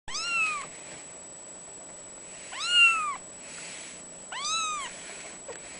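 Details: A three-week-old male seal point mitted Ragdoll kitten, born 22 October 2011, gives high, thin meows that rise and fall, repeated about every two seconds.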